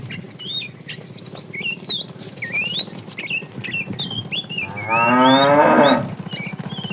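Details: Tame cows roaming for food in the morning; a single rough moo near the end after steady chirping birds and a low rhythmic background pulse.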